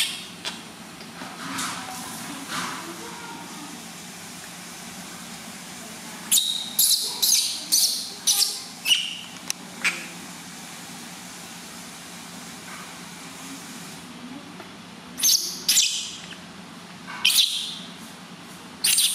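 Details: Loud cries of a newborn baby monkey being bathed for the first time by its new mother: a quiet start, then a quick run of sharp, piercing screeches, a pause, and more shrill bursts near the end.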